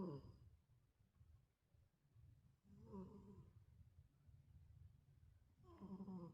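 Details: A rescued street cat sleeps indoors, its snoring growing steadily heavier: deep rumbling breaths punctuated by raspy, nasal snorts about every three seconds in a quiet room.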